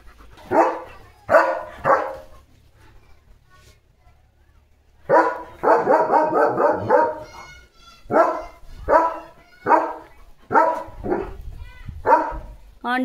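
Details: German Shepherd dog barking after being asked who he saw, reacting to a tractor and JCB; bursts of loud, deep barks, a rapid run of barks in the middle, then single barks about once a second, with some short whining tones.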